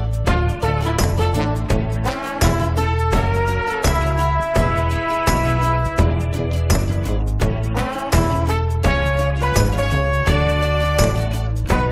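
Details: Brassy, swing-style band music with a steady beat and strong bass throughout, and no animal voice heard.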